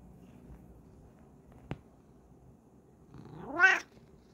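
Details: Bengal cat posing for the camera indoors gives a single short rising-then-falling meow near the end, preceded by a sharp click and quiet room background.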